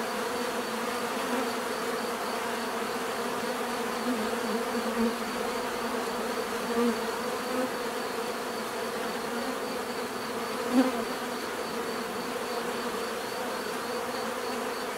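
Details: Bees buzzing naturally, a sustained drone with occasional nearer insects swelling briefly, one sharp louder pass near the eleventh second.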